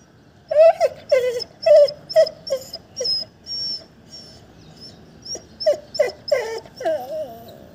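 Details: Pet female Labrador Retriever whimpering when her owners ignore her: a run of short, high whining cries, each bending up then down, about ten in eight seconds, with a brief quiet pause mid-way and a woman speaking Marathi afterwards.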